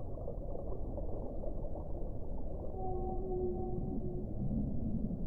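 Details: Whale song underwater: a pair of faint, steady tonal moans, one pitched above the other, held for about a second and a half over a constant low rumble of sea noise.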